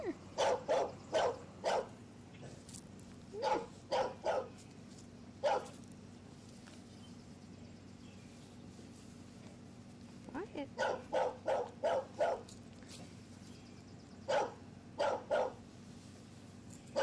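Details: Seven-week-old English Bulldog puppies, two males, playing outdoors on a ranch; short sharp barks come in uneven clusters of two to four, with pauses between bursts and a faint steady hum behind.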